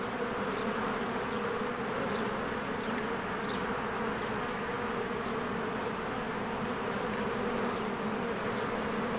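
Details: Honeybees in spring swarming in and out of their hive among blooming flowers, a dense continuous hum with steady low droning bands, many wingbeats overlapping, and faint brief higher chirps now and then above the buzz.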